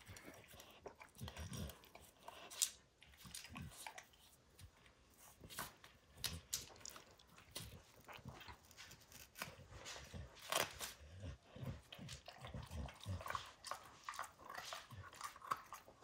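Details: Long stretch of a dog called Max chewing up a baseball hide. Scattered wet clicks, soft thuds and occasional sharper tearing bites repeat irregularly at a fairly low level.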